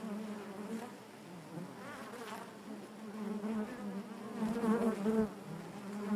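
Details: Honey bees inside a hive keep up a warm, low humming buzz that slowly grows louder. Wavering overtones shimmer above the drone toward the end.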